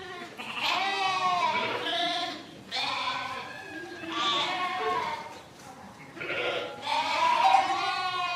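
Sheep in a flock bleat in long, quavering baas, one after another with short pauses.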